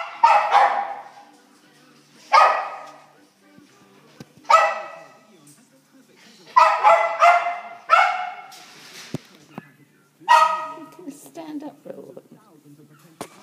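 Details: Cairn terrier crossed with miniature schnauzer puppies: sharp, high yelping barks in short bursts, about six over thirteen seconds, some doubled in quick succession, with quiet gaps and faint background murmur between.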